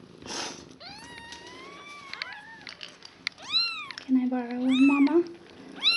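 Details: One-day-old foster kittens, five in the litter of mother cat Nala, rescued from a shelter: thin, high cries arching up and down, some long and wavering, others short and overlapping, with a low human voice murmuring beneath.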